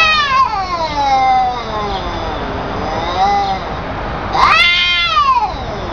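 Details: Pet cats exchanging drawn-out meows, a long falling wail followed by softer moans and a sharp rising-falling meow near the end.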